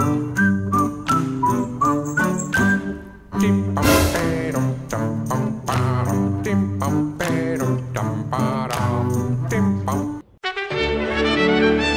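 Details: Bouncy jingling music with bell-like tinkles and plucked notes plays throughout, with a short break and a change of tune near the end.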